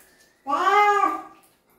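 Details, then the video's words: Single drawn-out meow from a cat during its bath, steady and slightly nasal, holding its pitch for about a second before trailing off, in a small quiet room. "냥빨의 날 | 고양이 목욕"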